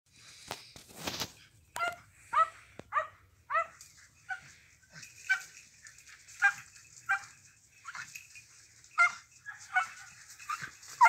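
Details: A Jagdterrier working on a wild boar barks in sharp, high, repeated yelps, roughly every half second to a second.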